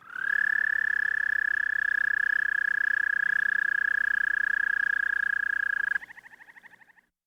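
A toad sings one sustained, even trill, a high, pure buzzing note held for about six seconds. It then breaks into a short run of separate pulses that fade away.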